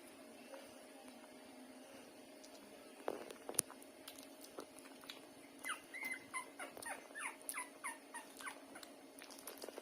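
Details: Hungry street puppies, left unfed by their mother for an hour, suckling strongly as she lies down; quiet at first, then a rapid run of short high squeaky whimpers and yips, several per second, over faint clicking suckling noises.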